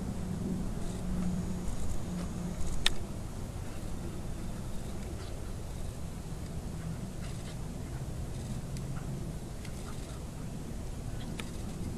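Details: Low rumbling noise like passing traffic outdoors, with a few faint clicks and knocks and no clear animal voice.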